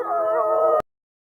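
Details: Wolf from a wild-life documentary about rival packs at war over territory. One steady, tonal howl with a rich harmonic stack and slight wavering in pitch, held for under a second before it cuts off abruptly into silence.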